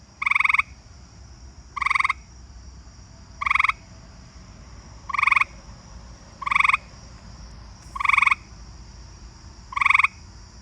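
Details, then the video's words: In a backyard at night, an eastern gray treefrog gives short, musical trills about every one and a half seconds, while many southeastern field crickets call nearby. "right, I'm in my backyard now and I'm sure you can hear the eastern gray tree frog. My"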